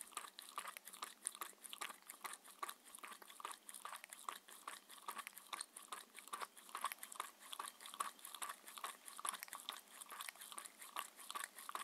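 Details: A six-year-old Shetland Sheepdog named Mindy works through a two-course dinner of chicken and pumpkin soup, then steamed chicken and raw beef. Steady wet crunching and biting repeats about twice a second in a small quiet room.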